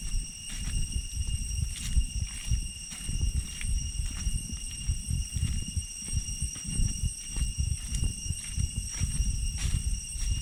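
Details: Cicadas drone in a steady, high-pitched ringing tone behind heavy crunching footsteps on the jungle path back from Chhay Yong Waterfall, Areng area, Koh Kong Province, Cambodia.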